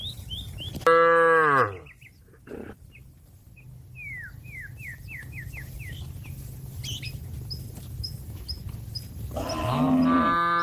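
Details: A cow calls out to a grazing companion to head back to the barn, giving one short, low moo early on and another rising moo near the end, with sparrow-like chirps and a quiet background hum between.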